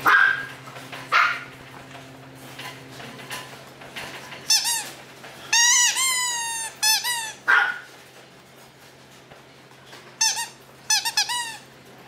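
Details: Maltese dog, described as a baby, giving high squeaky whines and yelps in short bursts of several rising-and-falling notes. Clusters come around the middle and near the end, separated by quiet gaps with a low steady hum.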